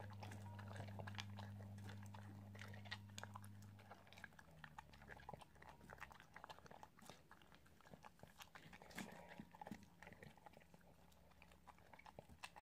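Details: An Italian greyhound eats with rapid, uneven crunches and clicks of chewing, close and dry.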